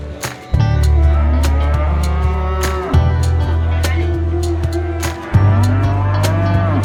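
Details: Market cattle calling their friends, three long low moos in succession, each a steady resonant drone of roughly two seconds breaking off into the next, over frequent sharp knocks and clatter from the surroundings.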